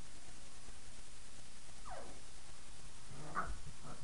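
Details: Five-week-old puppies playing after their night-time feeding, shortly before bed; two brief squeaky yelps with falling pitch, one near the middle and a sharper one toward the end, over a steady background hiss.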